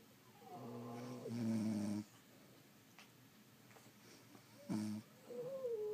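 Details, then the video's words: Sleeping French Bulldog snoring indoors: one long rasping, harmonic breath, then a pause and a short sharp snort, followed by a thin whistling wheeze. "Snoring French Bulldogs"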